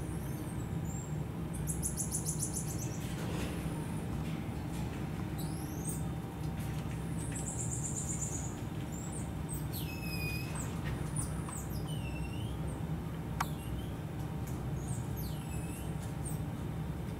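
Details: Black-tufted marmoset at Japan Monkey Center in Aichi, filmed May 2023: high thin whistled calls, some sliding downward and others with rapid trills near the top of the range, scattered over a steady low hum.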